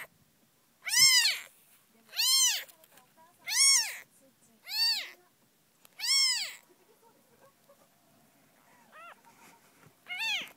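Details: Kitten Tsubomi, whose eyes have started opening in late May, gives five loud high arched mews about once a second, then a pause and a couple of softer, shorter mews near the end.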